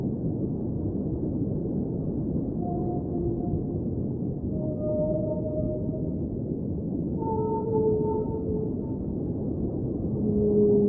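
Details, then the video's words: Whale song in an underwater soundscape: several drawn-out tonal moans at scattered intervals, some level and some gently sliding, with a deeper moan near the end, all set in steady low rushing water noise. "Underwater Whale Sounds - Ambient Soundscape | Whale Singing"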